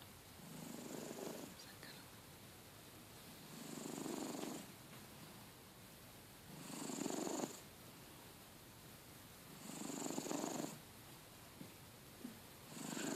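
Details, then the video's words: Domestic cat snoring loudly, long rasping breaths about every three seconds, each with a raspy low rumble and a faint high whistle, separated by quiet pauses. "Loud Snoring Cat"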